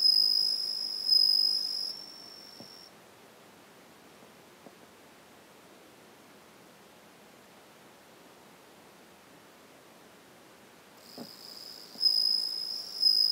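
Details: A Japanese bell cricket (suzumushi), which sings every evening, gives a high, clear, ringing trill in bursts separated by a long quiet pause; a second one calls from another spot.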